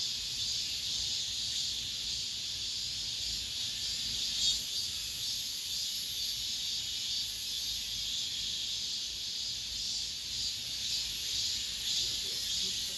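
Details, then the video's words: Late-summer cicada chorus in an apartment complex, a steady shrill electric buzz that never breaks, gently pulsing in loudness over several seconds. "올 여름 마지막 매미소리"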